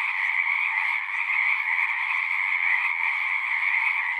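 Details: Frog chorus from a horse-pasture pond recorded with a Zoom 6: constant, densely overlapping high trills forming a seamless buzzing wall, steady level from start to end.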